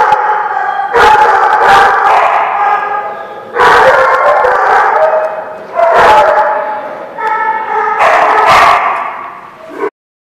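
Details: Dogs barking in loud, broad bursts at a place called the Barking Lot, recorded 18 January 2016; harsh harmonic barks come in clusters about every two seconds, with several overlapping voices and a continuous background din between bursts.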